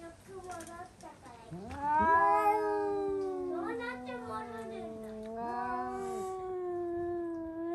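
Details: Domestic cats indoors scream after spotting a cat outside; long drawn wailing tones with rich harmonics, sliding up then holding a steady moaning pitch, overlapping voices from about 1.5 seconds onward.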